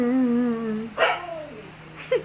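A Siberian Husky gives a sustained, wavering howl, then two sharper yelping notes that slide downward.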